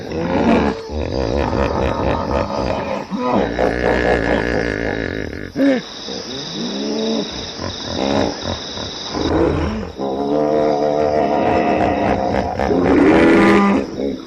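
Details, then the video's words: A hippopotamus gives a long run of harsh, harmonic, honking calls, the pitch swooping up and down in repeated bursts with short pauses between them over about fourteen seconds. "som de hipopótamo, Hippo Sound"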